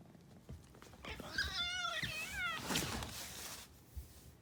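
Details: Rescued domestic cat meowing indoors in the morning: one drawn-out, wavering meow lasting over a second, bending up and down in pitch, with soft rustling and handling noises around it.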